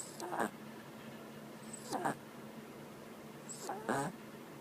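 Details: Chacha, a female dog, snoring loudly while asleep: three raspy, breathy snores roughly every two seconds, each a short rough burst with a faint whistling edge, separated by quiet breathing in a still room.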